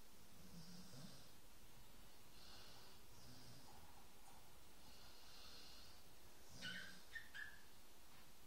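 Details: A sleeping dog snores in a steady low rumble, each breath a soft pulse repeating about once a second, with faint breathy hiss above and a few light clicks near the end.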